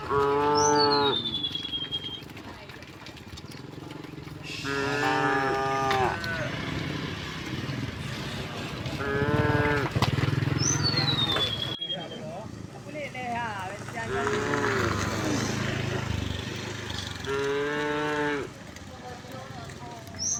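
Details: Cows of a herd returning home through village streets in the morning, mooing repeatedly: several drawn-out harmonic moos of about a second each, with overlapping calls near the middle, faint bird chirps and rustling village background noise.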